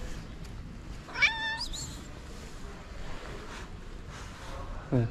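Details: Stray calico cat in Morocco with a black nose spot produces one short rising meow, followed by a few faint sounds, against low background noise; a brief low sound closes the recording.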